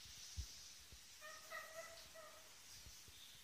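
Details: Young ferrets Lily and Django, roughly eight weeks old, playing in their new home on the first evening; one drawn-out, wavering, nasal squeal lasting just over a second, with a soft thud before it and quiet room hiss.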